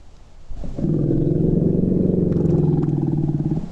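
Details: A young female African savanna elephant with a newborn, resting alone, lifts her head with stiff ears on hearing another elephant's call and answers with a deep, abrupt rumble.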